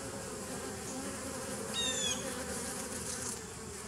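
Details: Dense droning hum of bees in a 2017 nucleus colony, recorded 27 September 2018, with one quick high chirping burst midway.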